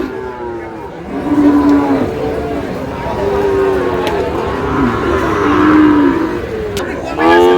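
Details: Sahiwal bull calves at a cattle market, 28 August, a Chittagong farmer buying: flat, sustained lows come every couple of seconds, with a sharper moo at the end, amid crowd noise and passing vehicles.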